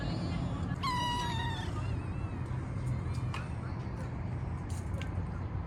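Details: Stray kitten living in a park, being petted after being fed, gives one clear meow lasting about a second, flat then slightly falling, over steady low traffic rumble and a person calling "pis pis pis".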